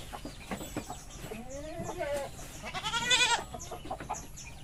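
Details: On a goat farm with mating goats, a rising then wavering bleat builds to a loud quavering cry, mixed with short clucking notes from chickens and general farmyard noise.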